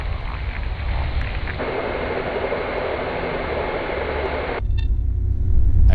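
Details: Broadband hiss and low rumble, like radio static or room noise, with no animal sounds. The hiss cuts off near the end, leaving a louder low hum.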